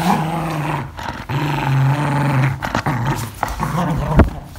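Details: Angry English Cocker Spaniel growling while playing, a deep steady rumble that runs almost without pause, dipping briefly between pushes, with a few sharper snarling bursts near the end.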